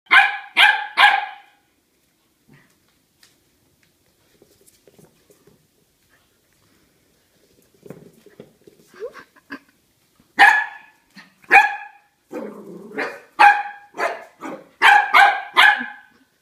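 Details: Corgi facing a huge pumpkin, barking in sharp bursts: two quick barks at the start, a quiet gap with soft grumbling, then a rapid run of about ten loud barks toward the end.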